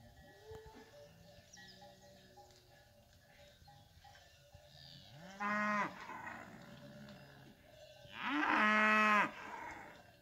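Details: Range cattle, cows with calves, descending from the hills; two loud, rich moos, each about a second long and roughly three seconds apart, with a fainter call earlier and light cowbell sounds behind.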